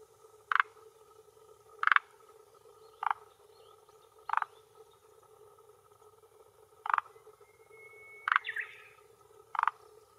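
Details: A male forest green tree frog (Rhacophorus arboreus) calls from a hillside pond shore in Japan on an early June 2021 evening near 18:10, vocal sac inflating, defending territory and luring females. Seven short rattling clucks come at irregular one-to-two-second gaps over a steady hum, with a faint rising whistle.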